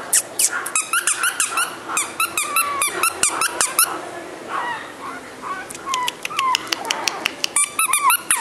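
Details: Squeaky, rising and falling yips from Bibin, a flat-nosed male Shih Tzu, come in quick runs, then soften into a few thin whining notes before the sharp yelps return, in a small indoor room.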